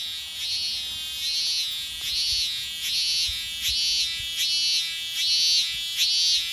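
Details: A lone cicada on a tree in summer in Japan sings a steady, high-pitched buzz that swells in rhythmic pulses a little faster than once per second.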